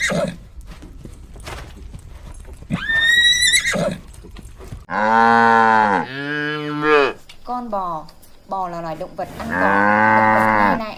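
A horse whinnies: a brief high squeal, then a long, quavering, bouncing neigh in several bursts. A little background rustle sits underneath.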